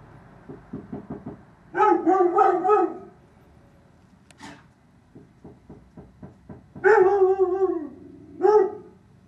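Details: Dog barking about eight feet from a bedroom window, bursts of harsh, rapid barks in short runs, separated by quieter series of rhythmic clicks or yips, loud and close.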